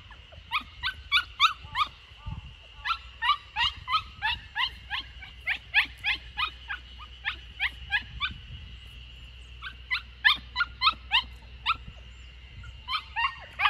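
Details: Lucky, a Samoyed puppy aged 64 days, three days into life at a house in Niseko, Hokkaido, escaping in the garden corner; nearly continuous runs of brief, piercing whimpers, roughly three each second, pausing briefly midway, over a constant thin tone.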